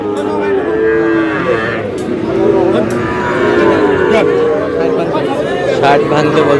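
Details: Sahiwal breed bull calves at a cattle market in Barishal, Bangladesh, on 28 July: drawn-out, steady, low moos overlapping one another, set against constant crowd chatter and bargaining voices.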